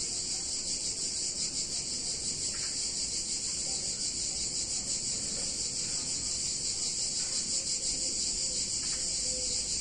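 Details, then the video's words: Continuous shrill chorus of cicadas in a warm summer Italian town, a sustained high buzz with a slight pulsing shimmer throughout, over soft low-frequency ambient hum. "Cicadas In Warm Summer Day In Italian Town"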